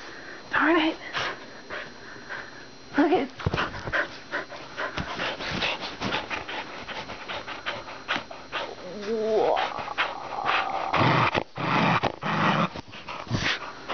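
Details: Two or more household dogs playing together: bursts of panting, snuffling and rough-housing noise, with a brief rising whine midway, while a person talks over them.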